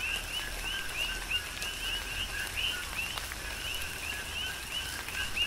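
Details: Coqui frogs on Hawaii's Big Island singing in tropical rain, many callers overlapping in a rhythmic two-part "co-qui" chorus of short, rising high chirps, over constant rain patter and occasional louder drops.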